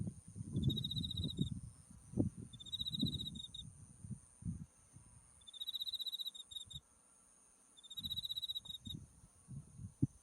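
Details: Insect voices of autumn from a blooming buckwheat field along a paddy path with Mount Tsukuba behind: four bright pulsed trills, each about a second long, in two pairs, against gusty low wind noise and a constant faint high whine.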